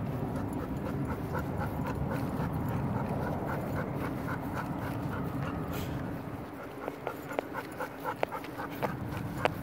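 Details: Black Golden Retriever panting with quick, rhythmic breaths, about four per second, each a soft breathy puff. A steady low rumble sits underneath, and a few sharp clicks come near the end.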